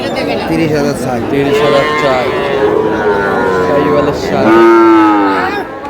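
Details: Sahiwal bull calf at a busy livestock market in Comilla, Bangladesh, bought by a farmer: a low drawn-out moo near the end rises over a steady murmur of people talking, with overlapping voices throughout.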